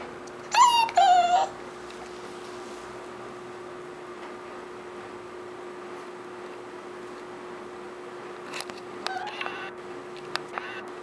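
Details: A beagle puppy lets out two drawn-out, wavering whines early on, then stays mostly quiet apart from faint clicks and brief soft squeaks near the end, with a steady low hum underneath throughout.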